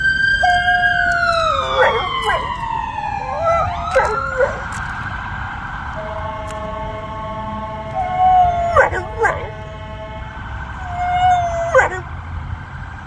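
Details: Female dog howling in response to a loud passing ambulance siren; drawn-out tonal howls rise and fall beneath the wailing siren, which sweeps downward and then holds steady tones, with short yelps breaking through at intervals.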